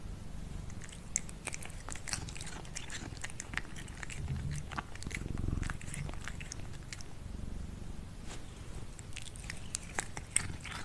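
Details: Crunchy chewing from cats eating their food at lunchtime, quick irregular bites and clicks filling the whole stretch, over a low rumbling background in a small room.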